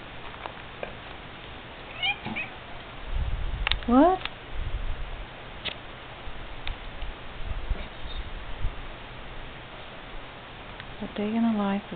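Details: Vocal pet domestic cat indoors, a household where cats and small dogs live together. A few short meows, one rising sharply in pitch mid-clip and another late on, with a person talking and household noise throughout.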